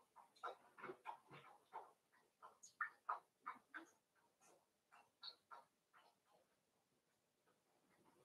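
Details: Cavalier King Charles Spaniel puppies playing together in an indoor home puppy pen at Red Barn Cavaliers, giving a rapid string of short yips, grunts and squeaky whines, several every second, overlapping as the litter tussles.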